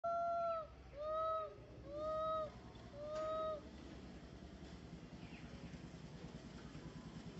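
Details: Young monkey MoMo calling for its mother Malika in a park: four loud, clear, slightly arched tonal calls about one per second with bright harmonics, then only steady background rumble and faint distant sounds.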